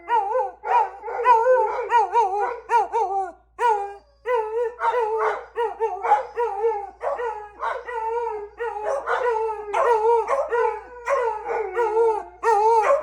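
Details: Beagles, with a Labrador, howl together in long, wavering, overlapping cries that bend up and down in pitch.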